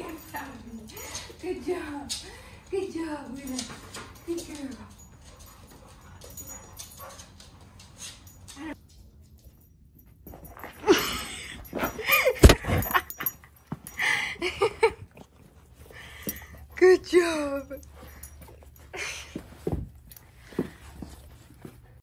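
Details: Willa, a playful female Vizsla, whines during a game of hide and seek with her owner: a run of short, high, falling whimpers in the first seconds. Then come quiet pauses, rustling, footsteps and a person's voice.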